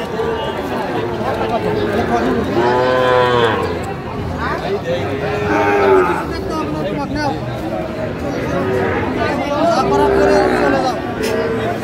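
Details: Sahiwal calves and young bulls at a Tangail cattle market, Bangladesh, being sold to farmers: several drawn-out moos, some rising and falling, over steady crowd chatter and men talking.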